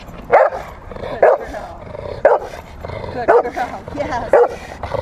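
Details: Female Rottweiler in protection training play, March 18, 2021. Gruff barks repeat roughly once a second, each short and harsh, with quiet background voices between them.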